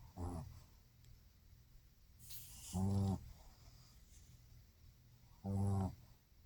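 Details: Loud snoring from a sleeping Shih Tzu: three short, rasping, harmonic-rich snores roughly every two and a half seconds, a brief hiss of noise in between.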